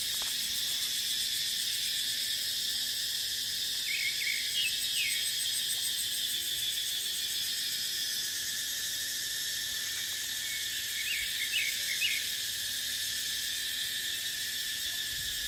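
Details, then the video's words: Continuous high metallic buzzing of cicadas in deciduous dipterocarp woodland during the dry season, with wind; small bird twitters appear twice, near four and eleven seconds. "เสียงจั๊กจั่น สายลม ในป่าเต็งรังยามหน้าแล้ง"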